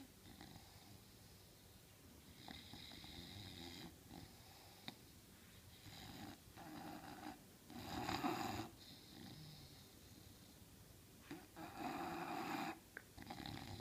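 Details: An English Bulldog sleeping on a couch snores in rough, rasping bursts, some breaths louder and wheezier than others.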